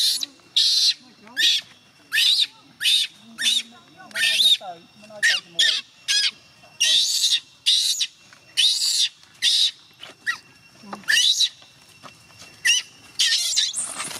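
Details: Young chimpanzee Gina crying and refusing to let her carer go home, pleading for her to stay: harsh, high screeching bursts repeated about every half second to second, with brief low murmurs between them.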